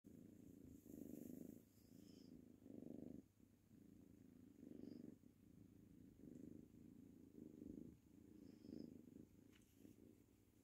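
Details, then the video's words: Tango, a ginger tabby kitten, purring happily while playing with his toy mouse; steady low rumbling purr in rhythmic pulses, each lasting under a second, with faint rustling from play. "Adorable Kitten Purring Away While Playing"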